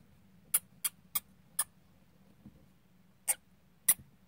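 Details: Dwarf hamsters play fighting: six short, sharp, high squeaks come in an uneven series, bunched in the first second and a half and then spaced wider apart, against a quiet low hum.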